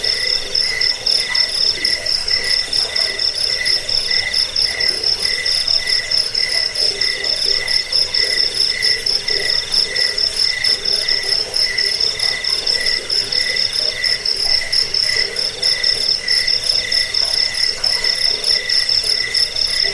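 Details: Cricket chirping, offered as a sound to drive away rats, lull people to sleep and tutor songbirds; dense, steady high-pitched pulsed trilling in several stacked tonal bands, unbroken for the whole stretch, with no other sounds.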